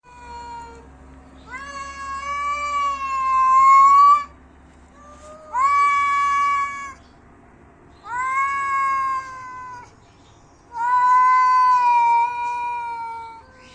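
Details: Cat fight sounds, angry cats: four long, drawn-out wailing yowls, each lasting one to three seconds with a steady, slightly rising tone, separated by short pauses; a faint low hum underneath.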